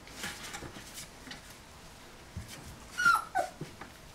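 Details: Golden Retriever puppies at 27 days old, indoors; soft scuffling, then a short thin high whine near three seconds followed by a couple of faint squeaks.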